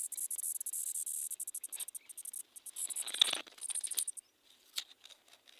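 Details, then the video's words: Insect song, called the music of the forest, heard in the heat of the Vaishakh month: rapid, dense pulsed buzzing high in pitch, steady for about two seconds, then broken into stuttering bursts and short gaps before fading. "તમરા નું જીવડું કેવું હોય છે જંગલ નું સંગીત કહી શકાય"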